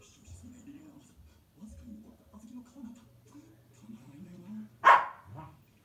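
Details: Female Pembroke Welsh Corgi puppy, born 8 July 2015 and described as very mischievous, going to fetch a toy from the neighbouring bedroom; after several seconds of people talking, she gives one loud, sharp bark near the end.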